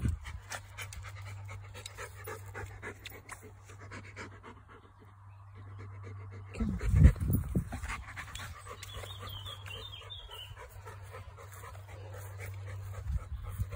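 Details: Chocolate Labrador Retriever on a walk through a grass field in Lincolnshire, England, panting rapidly and steadily in low, breathy puffs, about three per second. A brief louder rustle comes midway, with faint birdsong and a steady background hum.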